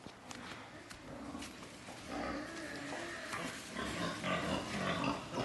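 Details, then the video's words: Farm-raised breeding wild boars grunting and squealing in quick, uneven bursts that grow louder and more frequent toward the end, with pen noise and a voice in the background. "Heo RỪNG GIỐNG"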